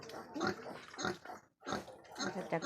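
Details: Crossbred wild boar giving a few short, rough, noisy grunts in uneven bursts, with a brief silent gap in the middle and faint human speech in the background.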